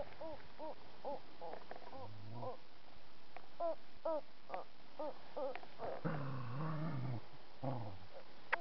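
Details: Puppies playing outside in autumn: quick runs of short, high yips and whines, one after another, broken by low rumbling growls in the middle and again toward the end, over faint background noise.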